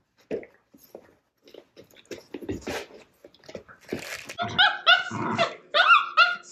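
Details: Three-month-old male Shiba Inu puppy Sora warily inviting the resident older female Shiba Nara to play indoors, in a small Canadian Rockies town: soft scuffles and taps, then a burst of high, whiny, harmonic yelps and barks in the last two seconds.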